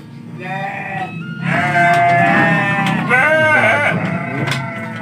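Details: Sheep in an Indonesian pen on the first day of the fasting month, late afternoon; overlapping bleats, long and quavering, one after another for several seconds, with a person's voice and faint music nearby.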